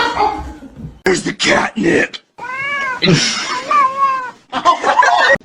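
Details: Cat meowing, with two drawn-out, slightly wavering meows in the middle, surrounded by people talking and laughing.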